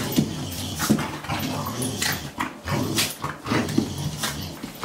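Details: A Boxer and a Morkie play fighting at home, low rumbling growls running steadily underneath brief harsh snarls and faint whines, with scuffling bursts roughly every second.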